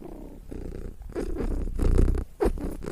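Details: Low, continuous cat purr with rhythmic pulses of breath, getting stronger toward the end, plus a brief brushing sound.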